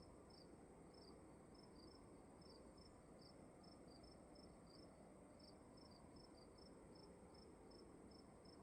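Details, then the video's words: Crickets indoors in a quiet room: short high chirps in steady runs, roughly two or three per second, with brief pauses between runs, over a constant low hum and hiss of room noise. "Sound of emptiness and crickets in the room"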